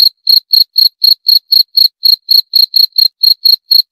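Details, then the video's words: Rapid series of bright, high-pitched cricket chirps, roughly four every second, crisp and metallic, repeated in a regular beat over complete silence. "26 Menit Suara Jangkrik - 26 Minutes Cricket Sound Effect"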